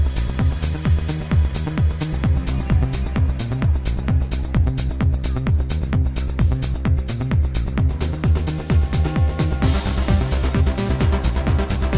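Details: Steady electronic dance music with a pounding beat of about 130 per minute and heavy bass, with no animal sounds.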